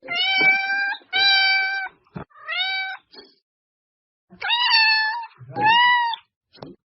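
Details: Domestic cat meows used to attract cats: a series of harmonic meows, some steady and some falling, in two bursts separated by a pause, with a short low rumble near the end; quiet background.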